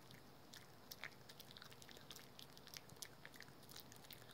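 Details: Indoors, a pet dog named Rookie works at a dental chew with rapid, closely spaced crunching bites and wet gnawing clicks, continuous for the whole short stretch.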